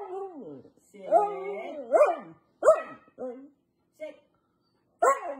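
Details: A female Siberian husky talks back when told to sit. She gives drawn-out, wavering, howl-like moans that rise and fall in several bursts separated by short pauses, then brief clipped grumbles and a final rising whine.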